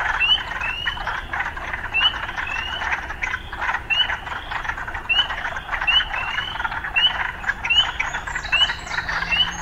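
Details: Frog sounds mixed with urban life: rhythmic rising chirps repeated about twice a second over a pulsing croaking chorus, louder and more prominent, with a faint low hum late on.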